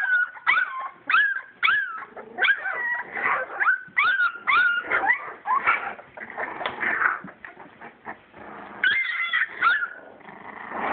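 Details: Playing English Springer Spaniel puppies, purebred litter born 22 July 2012, give a run of short rising yips and thin whines, many in quick succession, over a rustling, scuffling background of moving pups.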